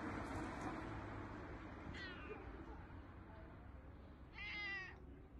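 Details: Cats at a cat cafe, two short meows with stacked harmonics around two seconds and a louder, longer meow near four and a half seconds, over steady low room hum and murmur.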